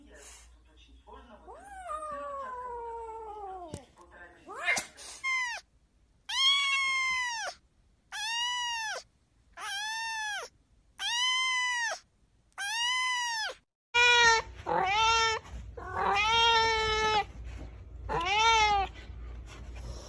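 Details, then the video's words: A person speaks briefly, then a cat breaks into a rapid run of loud, evenly spaced meows, each short and arched, followed by a cluster of longer, overlapping meows. "Funny Cats and Kittens Meowing"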